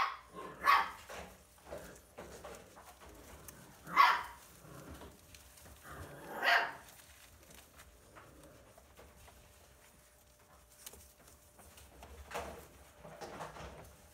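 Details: Litter of six Siberian Husky puppies born 30 January 2020 at a breeder in Hamamatsu, Shizuoka, Japan, competing to nurse; sharp squealing cries come in bursts several seconds apart, then fainter whimpers over quiet shuffling.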